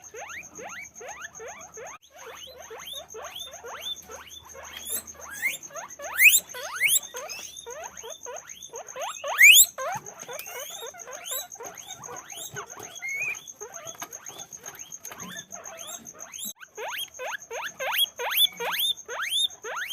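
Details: Guinea pigs in cages at a guinea pig farm squeal in a dense chorus of short upward-sliding squeaks, many animals calling at once, with louder bursts around six and nine seconds over a constant thin high whine.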